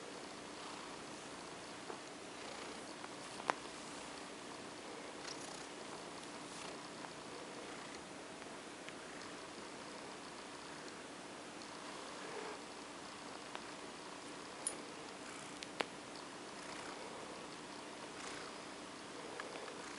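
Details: A female cat named OCD Cat purrs contentedly under petting as she drifts off to sleep; a low, unbroken purr with faint steady hum and occasional sharp ticks.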